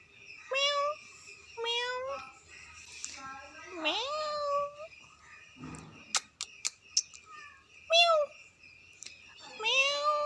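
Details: Very angry cat, described as fighting, giving drawn-out, rising and wavering yowling meows, about six separate calls, with a few sharp clicks or knocks midway.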